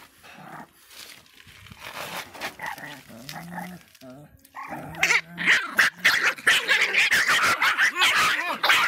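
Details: Miniature Pinscher, described as fierce, barking in a rapid, irregular run of sharp yaps and growly barks, starting softly and growing louder and denser toward the end.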